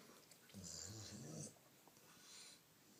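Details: Pet female Rottweiler snoring while being petted; she always makes these loud noises. One rough, low rumbling snore lasts about a second, followed by a softer breath, over a steady background hiss.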